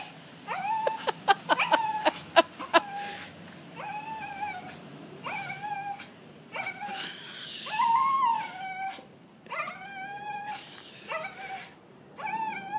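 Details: Welsh Terrier opening with a burst of sharp clicking taps and yips, then settling into a series of short, steady howled notes with rising starts, one higher wavering cry near the middle, spaced roughly every second or two.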